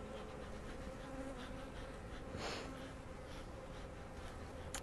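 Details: Western honey bees at a hive opened for inspection give a steady drone that rises and changes as they grow agitated, bouncing off the beekeeper before the hive is closed.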